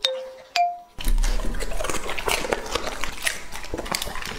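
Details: Two bell-like chimes ring out before Lucky, a two-and-a-half-year-old English-type Labrador Retriever, starts crunching raw food indoors, with dense irregular bites and smacking chews about twice a second.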